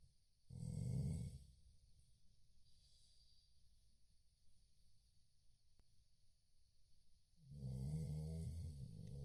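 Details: A Chow Chow dozes and gives two deep, gravelly snores, one near the start and one at the end, separated by roughly six seconds of quiet breathing.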